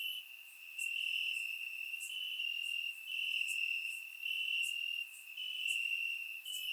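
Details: Crickets chirping in grass on a warm summer night in Bulgaria, recorded with a surround microphone: a steady high trill holding one pitch, swelling and easing in loudness every second or so, with faint higher clicks above.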